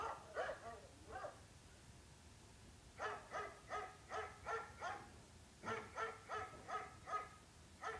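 A dog barks in quick bursts, sharp harmonic woofs repeated several times a second.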